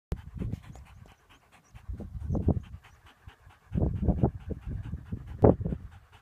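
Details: Lurcher out hunting as rabbits are bolted for it; quick, breathy panting in rhythmic bursts, pausing briefly near two seconds and again before a louder run of rapid breaths, with a sharp knock close to the end.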